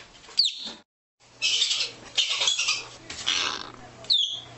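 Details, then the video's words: Arctic ground squirrel calling: a brief, high descending whistle opens and closes the sequence, with long rasping, broadband chatter between them and a low hum underneath. "arctic ground squirrel"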